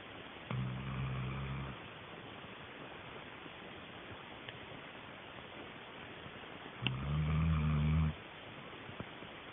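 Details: Sheila, a pet dog, snoring while asleep indoors: two low, rumbling, throaty snores, each lasting over a second and about six seconds apart, with quiet room noise between them.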